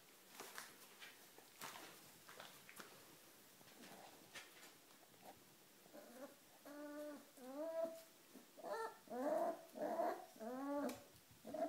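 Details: Four-week-old dachshund puppies indoors. Quiet shuffling and soft rustles open the recording, then a run of high, wavering whimpers and squeaky yelps fills the second half, roughly one per second, with faint scratching between them.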